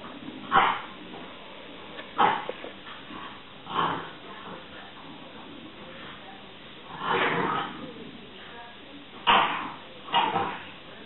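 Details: French bulldogs at home in a playful stand-off, one tormenting the other. Short, harsh grunting barks and whiny bursts come about six times over eleven seconds, with a person's voice urging them on.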